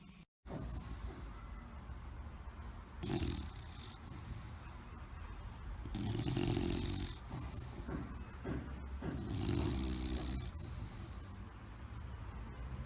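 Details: Sleeping bulldog snoring, with several irregular low, rasping snorts and snores of uneven length over steady room noise, the loudest rumbling near the middle.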